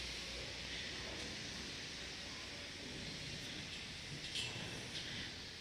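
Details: Steady broadband hiss over a faint low rumble, with only a few brief soft clicks and no animal voice.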